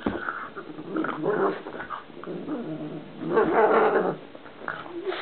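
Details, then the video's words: Pug at play indoors, producing a strange noise: rough, noisy growling grumbles rising and falling in two louder bursts, with snorting breaths and brief whimpering tones. "OUR PUG, PLAYING, FUNNY NOISE"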